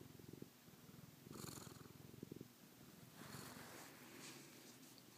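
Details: Pet cat LeBeef purring at bedtime, which it loves, on the night of May 16 2012. Low, rapid, rumbling purr pulses, interrupted by brief breathy hisses of air and a gentle rise in loudness partway through.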